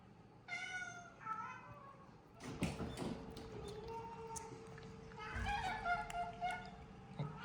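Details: Cats at a Japan shelter made from a closed-down school: two short meows open, then thumps and rustling, followed by a run of softer meows and a steady hum in the room.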